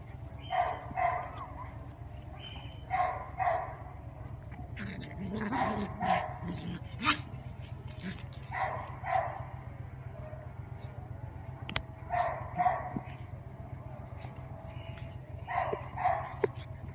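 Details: Playtime between Mrvica, a Doberman, and Kerry Blue Terrier puppies, with paired yapping barks repeated about every three seconds, a few whimper-like sounds in between, and a low hum throughout.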